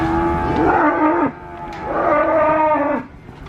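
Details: Cattle lowing in two long, loud harmonic moos, each about a second and a half, the pitch wavering and falling at the end, separated by a short quieter gap.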